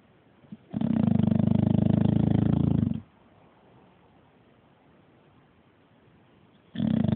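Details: Sleeping bulldog snoring: a low, rapidly fluttering rasp lasting about two seconds, then a long quiet pause for the next breath, and another snore starting at the end.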